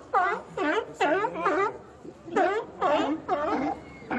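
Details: Sea lions calling: short, hoarse, wavering barks in uneven pairs and bursts, about two per second, with brief pauses between groups.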